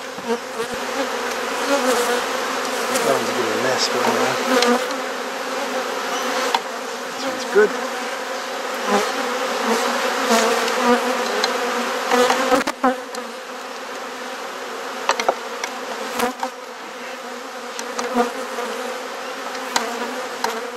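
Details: A honey bee hive in a Perth, Australia garden hums with a steady, even drone while being inspected and frames are swapped. Frequent scattered taps and clunks of equipment break through, with a louder crack midway.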